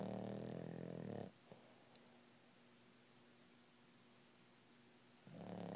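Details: Lilly, a female Boston Terrier, snores in REM sleep, each breath a coarse, low, rattling rumble; a long, nearly silent pause separates the first snore from the next, which begins as the clip ends.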